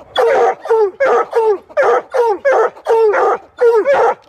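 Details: Coonhounds with a squirrel trapped inside a pig sculpture, giving loud, yelping, bawling barks in a rapid run of about nine calls within four seconds, each with a bent, wavering tone.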